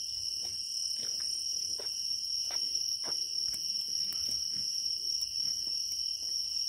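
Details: Grass insects in Naju on an early autumn evening fill the air with continuous, shrill trilling, several voices layered at different high pitches over faint soft ticks and rustles.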